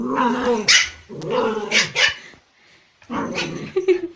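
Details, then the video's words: Puppies in a barking compilation; three rough, noisy bark-growl bursts roughly a second each, harsh and broadband with a gap before the last. "Cute Puppies Barking Compilation"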